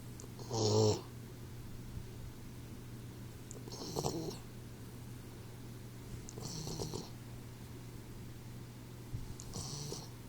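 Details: Sleeping 4-month-old Boxer puppy named Troy snoring: raspy, breathy snores roughly every three seconds, the first one loudest, over a constant low electrical hum in a quiet room.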